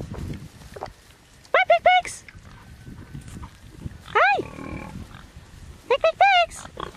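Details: Large Black pigs giving clear, rising-and-falling tonal squeals in three bursts, around 1.5, 4.2 and 6 seconds, each a quick run of short arched notes, with quiet rustling between.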